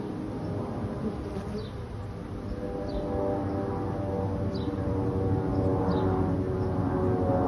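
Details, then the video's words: Honey bee swarm finding a new home: a dense, low droning buzz with a steady layered hum that swells slightly in the second half, and faint, brief high chirps scattered in the background. "Honey Bees finding a new home"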